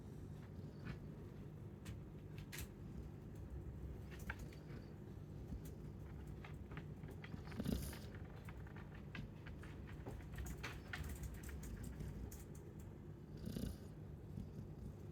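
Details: A Chow Chow snores quietly. Low, steady breathing noise is broken by two louder rasping snores roughly six seconds apart, with faint clicks and rustles between them.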